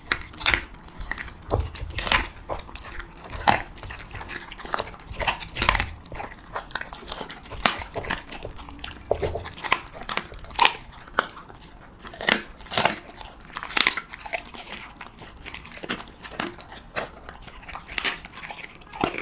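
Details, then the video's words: Siberian Husky eating cheese meat indoors, close-up: loud, sharp crunching bites and wet chewing come in irregular bursts, often several per second, with short pauses between mouthfuls. "[ASMR MUKBANG] HUSKY REVIEWING CHEESE MEAT"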